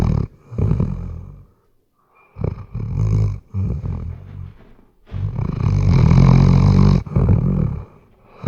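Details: Sleeping Weimaraner snoring, recorded with a RODE NTG3B microphone: deep, rasping low-pitched snores in long drawn-out bursts separated by short quiet breaths, the last burst loudest and longest.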